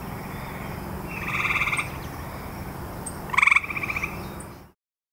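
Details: Grey tree frog: a soft drawn-out pulsed trill followed by a louder, sharper rattling burst, then fading to silence.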